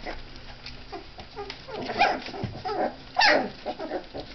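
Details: Three-week-old puppies at their first meal of milk and mixed food, 4 March 2011. Short high whimpers and squeaky yelps come in scattered bursts, one louder cry near the end, over soft pattering and shuffling indoors.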